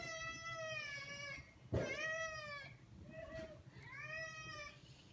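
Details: Four meows in about five seconds from Maine Coons begging to go outside, the second starting with a loud knock, the third short and quiet, the last rising then falling.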